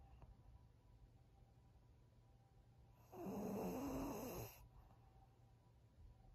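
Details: Senior female fawn pug Maria, aged thirteen, at home in Japan: a single loud snore lasting about a second and a half, harsh and fluttering with a faint whistled overtone, then quiet breathing and room hum.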